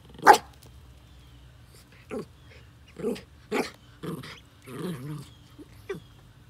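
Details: Jack Russell Terrier in a yard with baby ducklings on their first day out, giving a sharp opening yelp, then a series of short harmonic yips and barks spaced about half a second apart, ending in a drawn-out whine.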